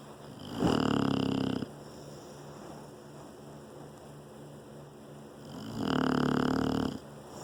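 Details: Bullet, an English bulldog, snores while sleeping in a lap: two loud rasping snores about five seconds apart, each lasting roughly a second, with quiet breathing between.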